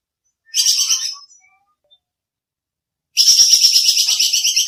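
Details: Squirrel (bajing kekes) call used as training audio for songbirds: two harsh, rapid pulsed chatter bursts, high and buzzy, the first short and the second longer and sustained, with silence between and no other sounds.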